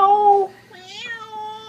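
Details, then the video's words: A cat gives a level, drawn-out meow, pauses briefly, then adds a second long meow that lifts slightly in the middle before settling. No other sounds intrude in the quiet indoor setting. "The Talking Cat"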